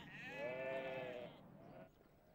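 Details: Sheep in a flock, where some animals become lifelong best friends and stay close together: one wavering, nasal bleat lasting over a second, with rich harmonics, followed by a shorter, softer bleat.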